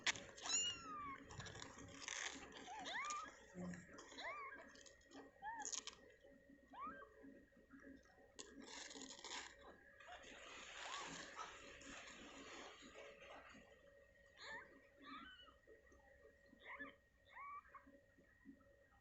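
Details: Tiny newborn kittens in their pen mew faintly and repeatedly, short arched cries spaced through the recording among rustles, a steady hum and occasional clicks.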